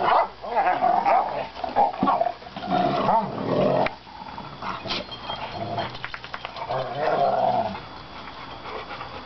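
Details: Rottweilers irritating each other trade rough, rumbling growls and snarls in uneven bursts, banging into the camera lens.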